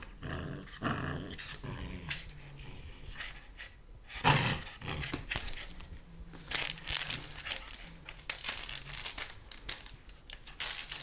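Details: Nine-week-old Black Russian Terrier puppy indoors, low rumbling growls running along the bottom with scattered crinkling and rustling bursts, a sharp loud moment near four seconds, busier scuffling noise in the second half.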